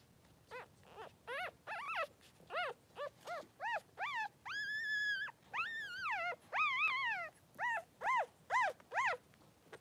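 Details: Newborn Blenheim Cavalier King Charles Spaniel puppies, 3 days old, two boys in a whelping pen with their mother Pom-Pom, crying in a rapid series of short high arched squeals with one longer wavering wail mid-sequence.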